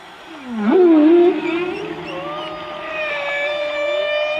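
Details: Humpback whales, which visit the warm waters of the Colombian Pacific, sing a low, swooping moan that rises sharply, then settles into long tonal notes.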